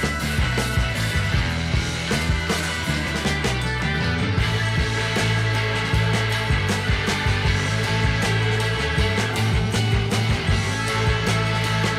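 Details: Loud distorted rock music with heavy drums and guitar fills the whole stretch.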